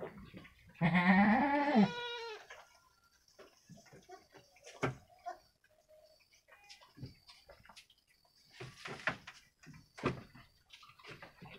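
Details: Goat kid, one of two week-old females from a Jawa Randu cross, playing inside a pen. Gives one loud, wavering, nasal bleat lasting about a second near the start. Soft rustles and knocks follow.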